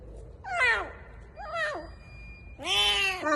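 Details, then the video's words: Hungry kitten found in an underground parking garage calls loudly while ravenously eating a bun, as if telling how hungry it is: three wavering meows, the last longest and strongest, with a thin steady tone in the background. "The kitten meows while eating, telling me it's so hungry!"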